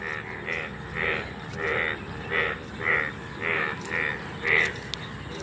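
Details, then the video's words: Golden frogs (Indian bullfrogs) calling in an open field in India, many frogs gathered and hopping about: eight loud, nasal, harmonic croaks, one roughly every 0.6 seconds, over a steady low background chorus. "মাঠে সোনা ব্যাঙের ডাকাডাকি"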